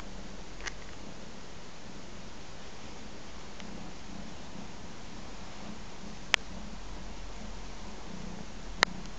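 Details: Three-month-old ginger kitten nursing from its mother, purring: a soft, continuous low rumble with a gentle pulsing rhythm, broken by a few brief sharp clicks.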